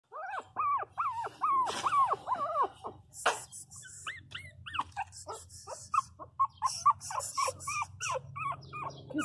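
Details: Pinscher puppies crying loudly indoors: rapid series of high, arched whining yelps rising and falling, repeated about twice a second, with a woman speaking Portuguese softly and a brief click.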